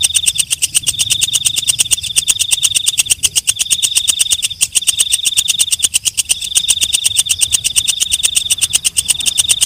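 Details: Walang kecek, a katydid also called belalang malam, stridulating steadily: a rapid, even ticking of dry pulses, several per second, over a continuous high buzzy hiss that dips briefly now and then.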